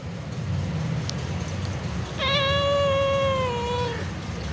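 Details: Pet cat Mufasa replying during a conversation with a person: after a quiet pause, a long clear meow of nearly two seconds, steady at first and then sliding gently downward, rich in overtones, with low background hum.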